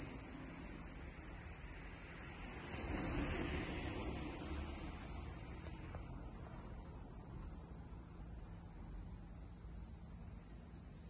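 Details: Cicada Platypleura kaempferi, Kanto plains, Japan, recorded 10 July 2021: an unbroken shrill high buzz whose pitch shifts slightly after two seconds, then carries on steadily to the end.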